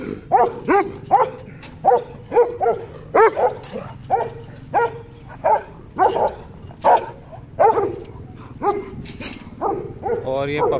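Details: Doberman puppy of European import bloodline, from champion-line parents, yapping in a run of short, high, harmonic barks about once a second, roughly fourteen in eleven seconds, with faint background noise.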